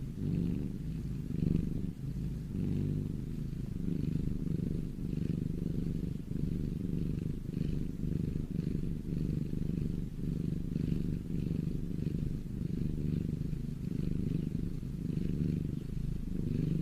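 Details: Close, sustained purring of a domestic cat, low and buzzy, pulsing gently with each breath through the whole stretch, quiet background otherwise.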